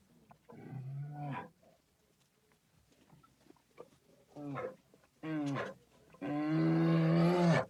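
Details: A bear in Ukraine gives four deep, throaty roars. The first and last are long drawn-out bellows, and two shorter grunting bursts fall between them.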